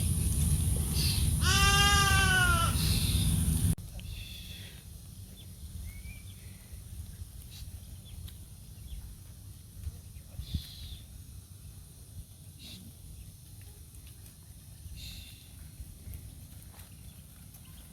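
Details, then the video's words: Goat by a roadside in India, calling alongside sheep: one loud, long, quavering bleat with stacked harmonics, then quieter background with faint distant bleats and a steady high hiss. "the echoing sound of goats and sheep on the side of the road"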